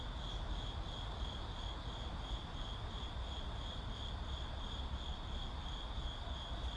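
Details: Crickets in a city setting give a steady, unbroken high-pitched trill that runs through the whole stretch, over a constant low rumble of urban traffic.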